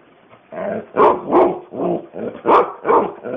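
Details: Pet dog Alana answers her owner, talking to the axi's. A run of about seven yodeling, bark-like vocal bursts comes roughly every half second. The bursts are loud and harmonic and vary in pitch, some rising into higher yelps.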